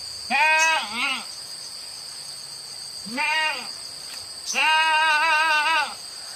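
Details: Free-grazing village goats feeding on wild grass in a field give three quavering bleats, a short one, a rising-falling one and a long trembling one, over a constant high-pitched hum.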